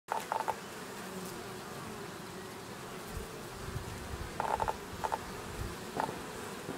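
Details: Honey bees at a Langstroth hive in Očová at about 430 metres, 6 April 2018: a low steady hum of many bees under scattered clicks and taps, with brief louder flyby buzzes.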